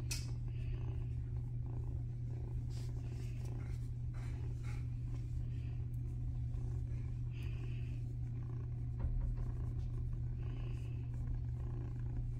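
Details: Domestic Shorthair cat named Brandy Wine, up for adoption, purring loudly and steadily in a deep continuous low rumble throughout, with faint rustling and a few higher scratchy sounds above it.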